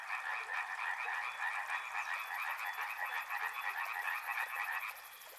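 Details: Continuous frog chorus beside a river, many callers producing fast, throbbing croak pulses; a faint high, regular ticking joins midway, and the chorus cuts off shortly before the end.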